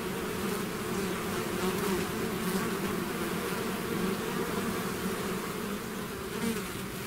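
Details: Swarm of bees leaving the hive: continuous buzzing mass of wings, a steady low hum with a brighter band above it, slight swells as individual insects fly closer.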